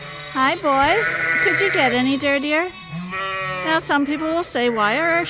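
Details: Suffolk lambs at Ewetopia Farms, mixed into one big group in a barn after a gate was left open, bleating in overlapping wavering calls that rise and fall, several voices at once, over a steady low hum.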